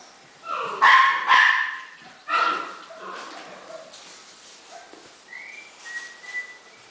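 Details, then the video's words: Playing Havanese puppies: a few loud, bright yaps early on, then softer barks and thin whistly whimpers trailing off, with faint human voices nearby. "Havanese puppies at play"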